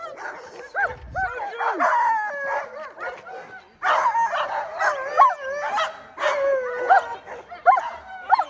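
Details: Female Alaskan Malamute sled dogs Sojou and Dotty about to take off on a run behind a bigger team pulling a cart. A dense chorus of bending, whining howls and sharp yips from several dogs overlaps throughout, surging louder midway.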